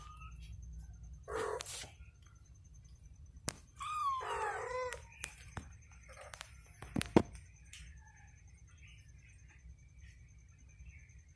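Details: Mother cat with her newborn kitten, indoors, watching over it as it sleeps; one short harmonic meow rising then falling near the middle, preceded by a brief breathy burst, with scattered clicks, rustling and a steady low hum.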